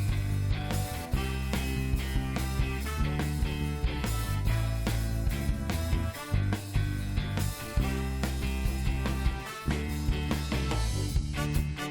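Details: Loud rock music with guitar and drum kit fills the whole stretch, driving and bass-heavy, with no animal sound heard through it.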